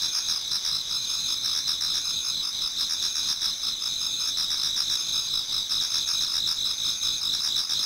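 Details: Garden insects in Japan singing in autumn towards daybreak: a dense wall of high, shimmering trills with fast repeated pulses running underneath, unchanging in volume from start to end.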